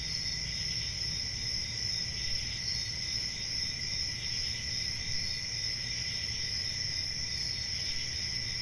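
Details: Crickets calling through a summer night in the forest, an even, high, ringing trill that never pauses, backed by a low rumbling hum.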